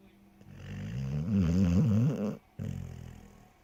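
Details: Lillie, a shorthaired pointer, snoring while asleep; one long, rumbling, wavering snore of about two seconds, then a short pause and a fainter second breath.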